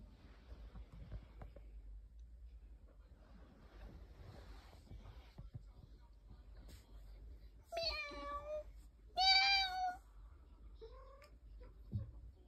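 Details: A ragdoll cat indoors gives two clear, drawn-out harmonic meows about a second apart near the middle, then a shorter, softer mew, over faint room rustling and low background hum.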